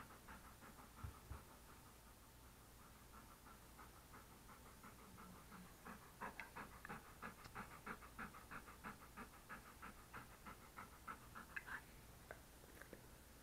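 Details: English Cream Golden Retriever, a male, sitting beside a desk while being petted, recorded close up on an SJCam SJ4000 action camera; steady soft rapid panting, about three breaths a second, growing clearer in the second half over a faint hum.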